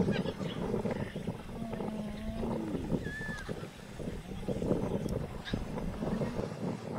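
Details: A spotted hyena gives soft drawn-out whines and groans while carefully greeting, being subservient to a dominant female or older kin, over a low rumbling background.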